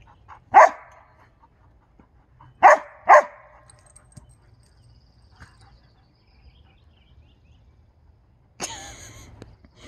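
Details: Dog barks in a Husky versus Briard encounter: three sharp barks, the second and third in quick succession, then a broader noisy burst near the end over quiet low hum.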